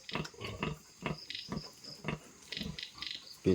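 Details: Newborn piglets from a fresh litter on a pig-fattening farm: short grunts repeated roughly every half second, with a man talking quietly in Thai.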